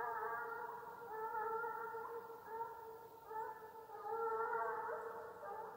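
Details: Russian hound baying during the hunt chase in Ivanovo Oblast, Russia; a distant, drawn-out, wavering tonal howl with rich overtones, continuing almost unbroken with swelling and fading loudness.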